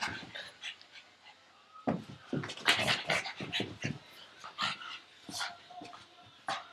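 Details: Pug named Frankie chasing a tug toy held in a person's arm, breathing in quick, rough, noisy bursts. The puffs crowd together and grow loudest near the middle, with short breathy pauses in between and no voices over them.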